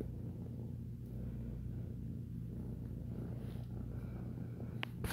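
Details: A three- to four-month-old ex-feral foster kitten kneading, or making biscuits, and purring: continuous even low rumble with a steady pulse, small room ambience, and a few light taps near the end.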